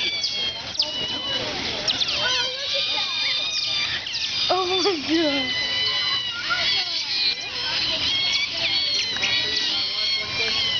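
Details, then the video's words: Asian small-clawed otters in a zoo enclosure in Atlanta, 2006, moving as one mass: a dense, continuous chatter of thin high squeaks and short wavering chirps from many animals, with visitors' voices mixed in throughout. "Otters squeaking"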